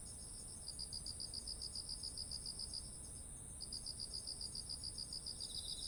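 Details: Insects calling in autumn beside rice fields heavy with grain: two bursts of rapid, regular chirp pulses separated by a pause of under a second, backed by a constant high insect whine and faint low noise.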